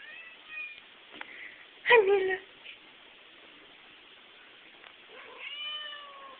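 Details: Tuxedo cat indoors in a living room, moving from couch to recliner, gives short harmonic meows with a louder strained mew in the middle and a longer falling meow near the end, while a person talks to it.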